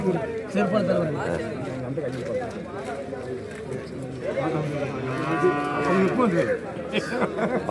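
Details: Bull calves being sold at the Kollannur market in Kerala, India: a single wavering moo about two-thirds through, partly buried under lively chatter and arguing voices of traders.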